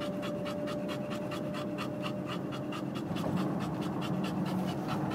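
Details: Quick rhythmic huffing breaths from a panting bulldog, close and steady throughout, a faint continuous hum behind.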